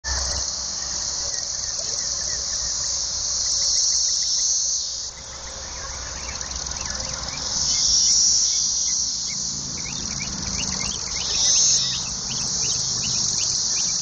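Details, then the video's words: Periodical cicadas, which appear every 13 to 17 years, breed and then die; a continuous, very loud high-pitched droning chorus that swells and dips in waves, with a brief drop in intensity midway. "LOUD Cicadas"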